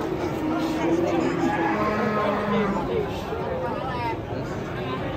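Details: Enraged cattle watched by a gathered crowd, after a six-hour wait: a low, drawn-out moo lasting under a second, then a shorter higher bellow, with people talking throughout.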